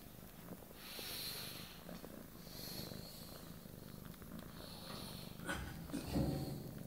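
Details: Small female cat purring as she kneads and sucks a blanket, a contented cuddling moment; continuous low purr rumble with soft rustles and a louder shuffling near the end.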